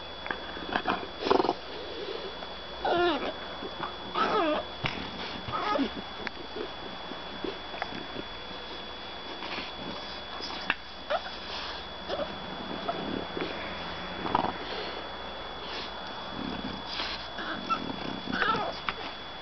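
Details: A French Bulldog puppy "arguing" over bedtime lets out a string of short, wavering whines and throaty grumbles.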